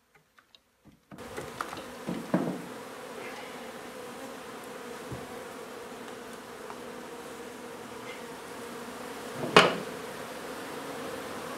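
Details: Honey bees from a nuisance hive being removed from an old home under renovation in Donna, Texas. Near-silence gives way abruptly to a steady low droning hum, with scattered sharp clicks and knocks from the work.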